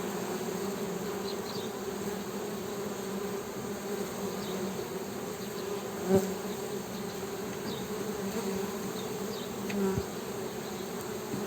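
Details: Honey bees humming: a steady, low drone with a deeper buzzing tone and a fainter higher overtone running throughout, with two brief louder swells as a bee passes close, near six and ten seconds.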